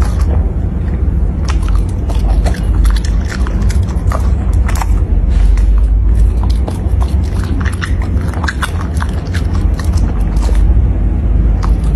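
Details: Loud, close crunching and chewing of food with a constant low rumble and no animal calls.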